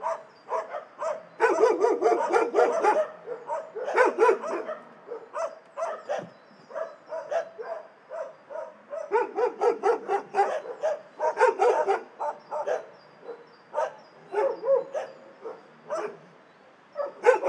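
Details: Many shelter dogs barking together, a dense chorus of overlapping barks and yips with bursts of heavier barking and brief quieter gaps, continuous throughout.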